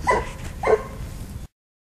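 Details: Daisy, a dog at a park, excited by other dogs along the fence on the little dog side; two short yipping barks about half a second apart, then quiet outdoor background.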